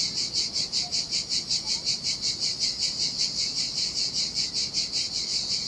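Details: Cicadas singing in the summer heat beside a desolate beach on the Sardinian sea: a dense, high, buzzy chorus that pulses steadily about two to three times a second, over a soft low wash of surf.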